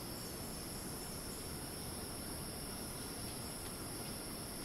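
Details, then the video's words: Constant high, screeching cicada drone from the rainforest of Ton Pariwat wildlife sanctuary, Phang-Nga province, Thailand, steady in pitch and loudness, with broad rushing ambient noise underneath. "Ambiance 🌴🦗 of rainforest and cicada"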